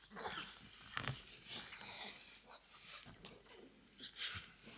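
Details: French Bulldog indoors making odd wheezing, snorting noises: breathy, hissing bursts with rough snuffles, repeated irregularly in a small room.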